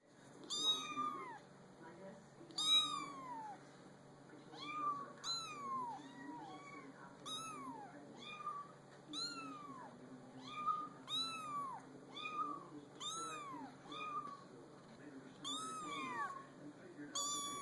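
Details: Several kittens placed on a small pool table, giving high, thin meows with arched, falling contours, repeated about every one to two seconds over a faint low background hum.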